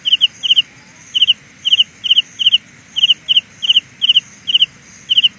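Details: Carolina ground cricket song: bright, high-pitched clusters of rapid ticking pulses, spaced roughly every half second, above a thin continuous high tone.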